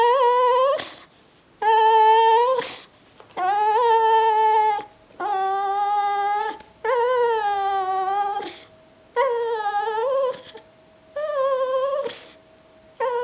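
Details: Brittany Spaniel named Lucy greeting her owner at the door on arriving home: a series of long, steady, high whines, each about a second long, repeated with brief gaps, clear and loud indoors.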